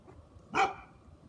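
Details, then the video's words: One of three Great Pyrenees puppies barking gives a single short, sharp bark against a quiet background. "Great Pyrenees puppies x3 barking. All-so cute"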